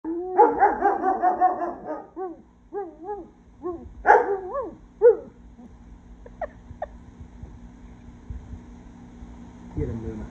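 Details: German Shepherd crying: a run of high, wavering whines and short yelping cries in the first five seconds, then a few thin squeaks amid quiet background hum.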